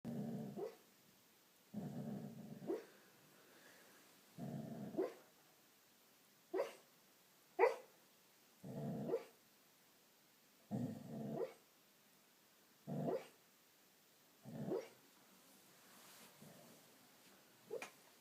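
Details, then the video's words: Nell, a female dog also called Noodles, making noises in her sleep: soft, muffled low woofs and short huffing barks in separate bursts, about eleven across eighteen seconds, some with a quick rising squeak, over a quiet indoor background. "Nell (Noodles) making noises in her sleep!"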